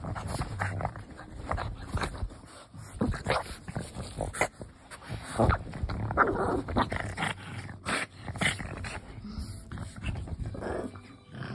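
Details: Two Boston Terriers playing indoors, giving rough growls, grunts and short yips in irregular bursts with scuffling between them.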